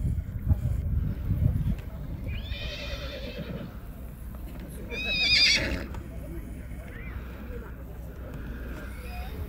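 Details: Black Forest draft horse filly foal, born February 2021, at a draft horse foal show in Sankt Märgen, Germany, on 12 August 2021; a harmonic whinny rises and falls twice over people talking, low rumbling background and hoof clatter.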